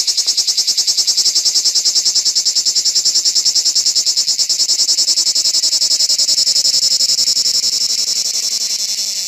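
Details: Lyristes plebejus cicada on an olive tree on an organic farm, giving a loud, continuous high-pitched rasping buzz made of fast, even pulses that run throughout and fade slightly at the close.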